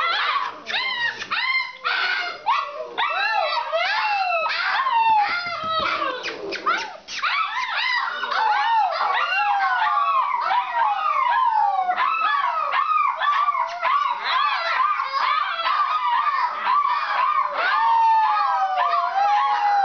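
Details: Several kennel Alaskan Malamutes in a kitchen at 11:45 pm howl and yodel together in a dense, overlapping chorus of rising and falling wails.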